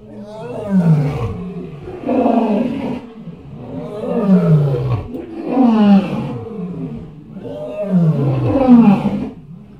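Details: Elephant giving a run of four loud, throaty roars, each a falling, groaning sweep lasting about a second, spaced roughly two seconds apart.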